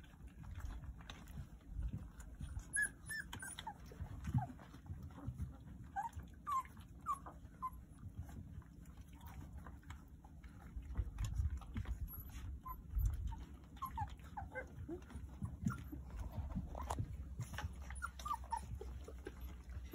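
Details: Jindo mother Sarang-i lets her nine puppies, whose teeth have all come in, suckle. Thin rising squeaks and whines repeat irregularly throughout, with soft shuffling and a low background hum.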